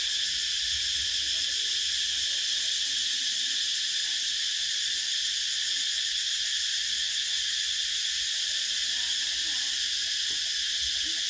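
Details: Summer cicadas producing a constant high, rasping drone with a gentle wavering shimmer, level and unbroken from start to finish.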